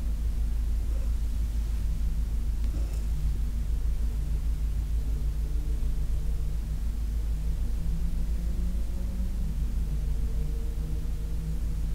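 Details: Steady low rumble with faint humming tones and a soft hiss fills the room, with no animal voice heard.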